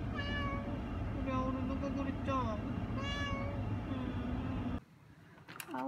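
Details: Young male cat at a veterinary clinic visit, nervous but not badly frightened: four or five short, bending meows about a second apart, with a person talking softly over them, then a sudden drop to quiet.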